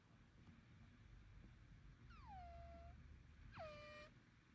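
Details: A Bengal cat gives two odd, drawn-out meows that start high and slide down to a steady whine. The owner, unsure whether it is illness, nasal breathing, congestion or allergy, took the cat to a vet.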